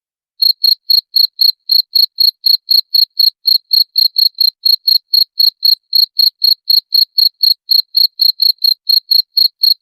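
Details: Loud cricket chirps used as a rat repellent, sharp shrill pulses following one another roughly four per second without pause across the whole stretch, no background noise.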